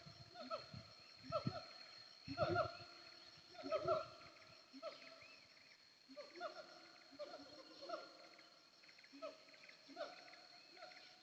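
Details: Siamang on the hillside of Bukit Kalowan, heard en route from Aie Amo to Sumpur Kudus: rhythmic harmonic hoots with sliding ends, louder early then fading, against low rumbling and a persistent high insect-like tone.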